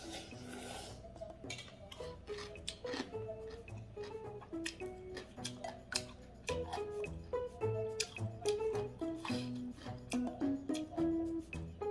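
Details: Plucked, melodic background music with clinking percussive accents throughout, and no animal sound is heard.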